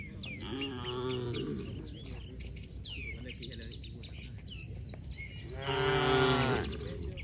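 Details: Cattle running and leaping in mud, free in the open, their moos taken as joyful. A harmonic moo near one second, then a louder, longer moo around six seconds, with many chirping birds in the background throughout.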